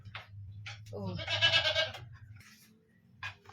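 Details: Kept goats call out while being fed washed Saba banana peels as dusk falls: one wavering, rising bleat of about a second, rich in harmonics, with short calls from other goats and a low steady hum behind.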